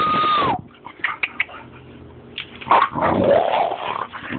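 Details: Boxer puppy making a short high whine that slides downward, then a pause with soft scuffling, followed by a rough, throaty growling burst lasting over a second; household noise in the background.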